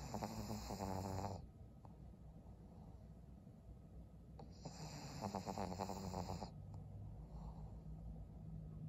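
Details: A sleeping senior pug named Maria, a twelve-year-old fawn female in Japan in December, gives two rattling, fluttery snores about four seconds apart, each followed by quiet nasal breathing.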